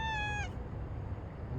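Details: Complaining domestic cat producing a single clear, steady meow that dips at the end and cuts off, leaving a low background hum.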